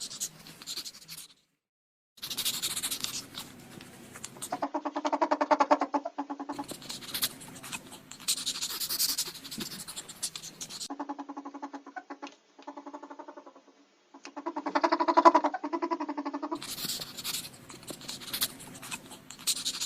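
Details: Indoor ferret giving several bursts of rapid, rhythmic clucks, each a few seconds long, alternating with stretches of loud scratching and rustling and a few brief silences.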